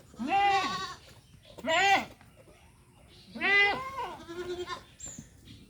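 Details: Good-breed castrated goats kept for sale in Mahilara village, Gournadi, Barishal: three strong wavering bleats, rich in harmonics, spaced over several seconds, with a short softer bleat and quiet surroundings.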